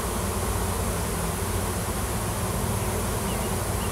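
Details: Cluster of wild honey bees swarming in a tree on a Washington farm, workers gathered around a new queen looking for a new home; even, unbroken low buzz filling the whole clip.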